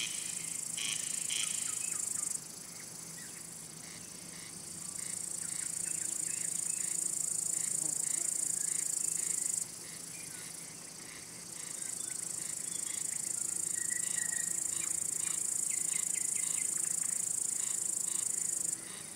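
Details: Cricket song as a steady, piercing high trill that stops and restarts several times, with faint chirps and a brief whistled note in the background.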